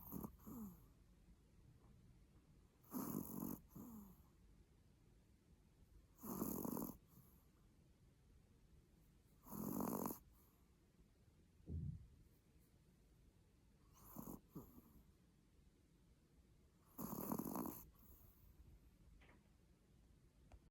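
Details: Pomeranian snoring in its sleep: harsh, noisy snores repeated every three to four seconds, each lasting under a second, separated by quiet breathing.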